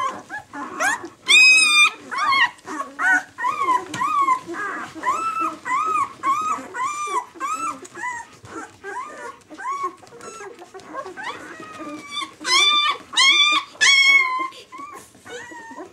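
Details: A litter of White German Shepherd puppies, six days old, squeaks in a dense chorus. Short, thin whines wobble and rise in pitch, some sharp and shrill, with brief yelps scattered through the steady, continuous crying.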